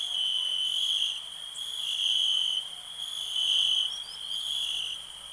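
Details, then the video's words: Crickets in a nature ambience recorded in 2021: a steady, high, ringing trill holds without a break, with fainter shimmering tones above it. Loudness swells and dips gently over a few seconds. No other clear sounds. "Nature sounds, cricket relax"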